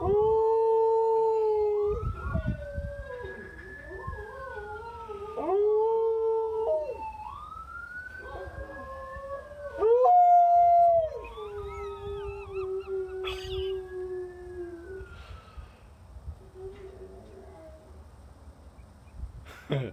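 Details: Pet dog howling along to ambulance sirens played indoors, a howl she usually gives only when she wants to be let in; long wavering howls rise and fall over the smooth, sweeping electronic siren tones.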